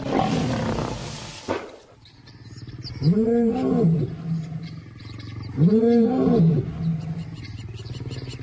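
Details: African lions in a pride, wild; two arched, harmonic snarling roars about two and a half seconds apart, each rising then falling, after a burst of broadband noise and a brief quieter gap.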